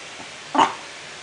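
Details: Chihuahua Coco Chanel, who sneezes when she does not know what to do, gives a single short sharp sneeze, a brief burst of breathy noise amid quiet indoor hum.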